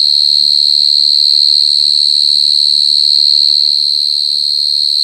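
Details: [['Short-tailed cricket (jangkrik gangsir) chirping very loudly: a steady, piercing high-pitched trill with a fainter higher overtone, continuous throughout, with faint low tonal sounds in the background.']]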